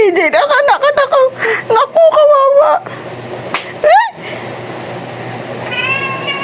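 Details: Domestic cat, described as talking, giving a rapid run of short, chirpy, warbling meows that wobble up and down in pitch, then a single higher rising call after a pause, with faint room noise between.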